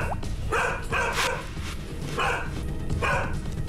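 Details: A pet dog that barks excessively at outside noises and visitors gives sharp, irregular barks at a visitor at home, fearful rather than aggressive, backing away or hiding behind its owner as it barks.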